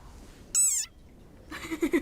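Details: Desert rain frog, described as very angry, giving its squeaking war cry from a viral recording played back: one short, high, tonal squeak of about a third of a second that sags slightly in pitch, followed by quieter noisy chatter.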